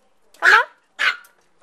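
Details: Tiny AKC micro teacup poodle, Swamp Rats and Velvet Touch bloodline, kept as a pet in Hong Kong, gives two sharp, high barks about half a second apart in a quiet room.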